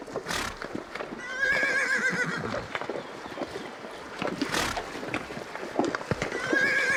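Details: Horse whinnying twice, a wavering quivering call near the start and another at the very end, with hoofbeats and knocking sounds in between.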